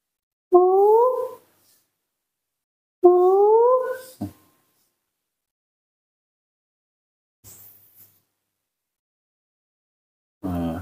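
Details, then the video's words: Baby female monkey calling in the morning to ask for milk: two rising, clear, harmonic cries, each about a second long and spaced roughly two and a half seconds apart, followed by a faint click and a short rough noise. "the baby monkey Nomi is calling in her sweet voice asking for milk"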